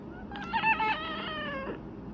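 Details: A cat meows while its owner offers a churu treat indoors: one drawn-out, tonal meow lasting about a second and a half, wavering slightly in pitch, with quiet room sound around it.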